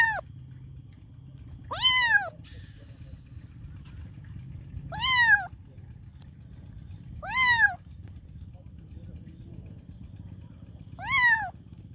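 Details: Five arched meows from a kitten calling for its mom, spaced unevenly two to three seconds apart, set against a low rumbling background and a constant thin high tone.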